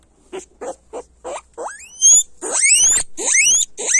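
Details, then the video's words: Guinea pig squealing: soft short chirps at first, then building into loud, long, rising whistled squeals that run almost continuously toward the end. "Sonido de Cuy Chillando fuerte"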